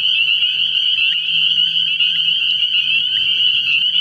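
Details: Spring peepers massed at a frog pond on an early-spring night, giving a constant high shrill chorus of overlapping peeps, a low steady hum faintly present.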